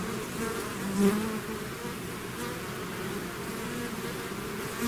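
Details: Continuous low humming of a swarm of bees leaving the hive, many wings blending into one drone, a close bee swelling louder near the end.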